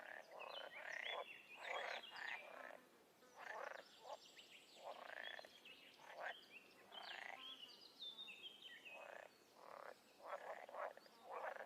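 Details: Frogs and toads calling in the wild: a steady string of short, harsh croaks and pulsed rattles, overlaid by high chirping and whistled notes.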